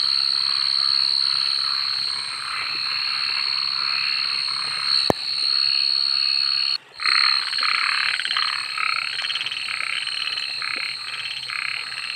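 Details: Frogs calling at night: rough pulsed croaks in bursts over a steady high insect drone, with a brief break midway before the chorus resumes.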